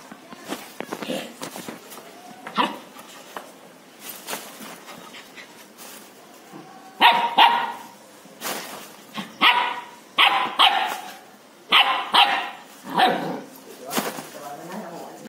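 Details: A 70-day-old German Shepherd puppy barks loudly in sharp, high, repeated bursts.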